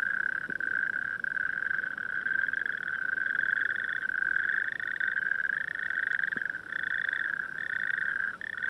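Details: Night chorus of natterjack toads in dunes with distant town lights: many overlapping rattling trills form an unbroken churring drone, a second fainter higher band joining in and out, echoing across the dunes.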